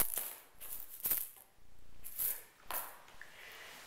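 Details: Rustling, tapping and soft clicks in a small indoor room, with no animal voice heard.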